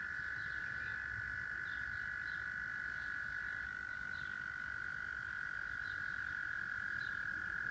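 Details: Chorus of singing frogs at Rochester, New York, where a continuous buzzing trill fills the whole stretch and brief, sharp high chirps repeat roughly once a second over the top.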